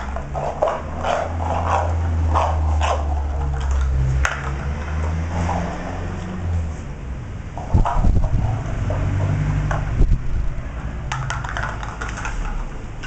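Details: Beagle puppy named Turling playing with a plastic cup: low, rumbling growl-like vocal sounds held for several seconds, broken by scattered short bursts and clattering as it plays.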